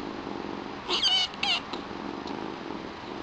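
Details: A single high-pitched kitten meow, split into two quick pulses, rises out of steady indoor hiss. It comes from one of two new pet kittens: Chilli, the smaller, louder young queen with white markings, or her all-black brother Pepper.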